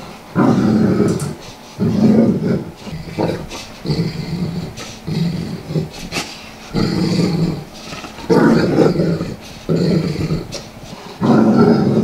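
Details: Large Golden Saint dog, a Saint Bernard, rolling on a living-room carpet and scratching its itches, happy-growling with enjoyment: deep rumbling growls in bursts about one second long, roughly every one to two seconds, with soft carpet rustling between.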